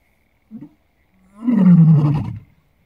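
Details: At Lalibela Game Reserve, South Africa, a lion gives a short low grunt, then a deep, rumbling roar that swells and fades.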